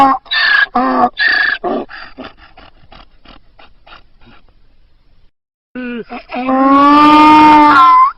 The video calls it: funny donkey sounds